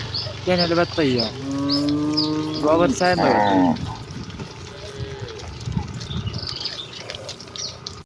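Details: Cows of a village herd rushing happily to their pen, several overlapping moos packed into the first four seconds, then quieter rural ambience with faint bird chirps.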